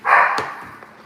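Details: A Siberian Husky gives a single bright, open-throated "moon bark" that fades quickly, signalling treat time, heard at night while being fed treats.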